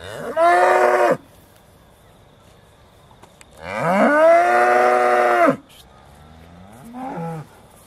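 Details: Aussie Red dairy cows at Beaulands in December 2012, just before milking: two long, loud harmonic moos about a second or more each with a rising start, then a shorter third moo, quiet between.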